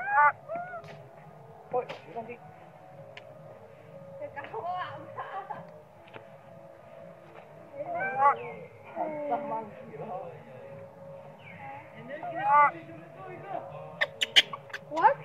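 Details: Hungry baby monkey named Sweet Pea crying and screaming for milk while its mother ignores it; scattered wavering, whiny cries, some bending up and down, come in short bursts between quieter gaps over a steady low hum.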